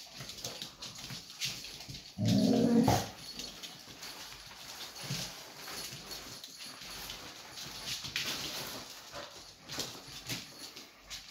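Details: Kerry Blue Terrier pups with their mother: one loud, tonal whining cry lasting under a second about two seconds in, then quiet rustling, shuffling and faint movement sounds.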